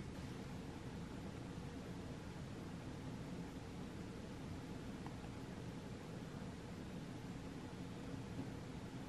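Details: Only a steady, even hiss like a fan or running machine is heard throughout, with no animal voice.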